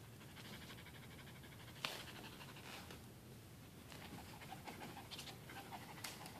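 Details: A pet dog pants rapidly and steadily after a tug-of-war game with his towel, a soft rhythmic huffing with breathy bursts, a few louder rustles, and a person speaking at the end.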